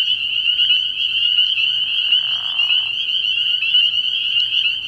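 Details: Spring peepers calling together at night from a frog pond in early spring, forming an unbroken piercing wall of high peeps. A short lower buzzy burst rises beneath the chorus midway through.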